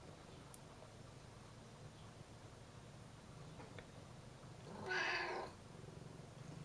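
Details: A curious house cat asks for the door to be opened with a single bright, harmonic meow late in the recording after several seconds of faint low hum and a small click.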